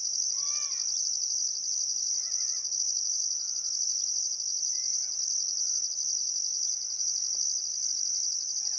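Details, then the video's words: Crickets chirping on a still summer afternoon at sunset beside the Barcoo River, Welford National Park, Outback Queensland, Australia: a steady high shrill band with a pulsed upper trill, while scattered birds whistle short rising and falling notes beneath. "Australian Sunset Chirping Crickets"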